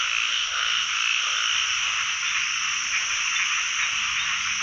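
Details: Many narrow-mouthed frogs calling together from a pond where they are being caught for the first time this year, forming an unbroken, buzzing roar of countless overlapping voices.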